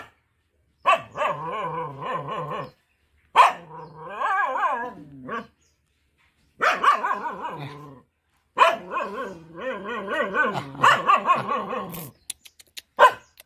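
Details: Village mother dog defending her four puppies: rapid runs of barks with quavering tones in four long bouts separated by short pauses, with a man's voice praising her at the end.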